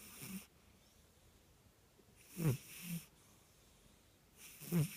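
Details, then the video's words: Sleeping Burmese cat snoring while it dreams and twitches: soft wheezy inhalations roughly every two seconds, each a short low rasp followed by a fainter breath, in a quiet room. "Dreaming snoring kitty"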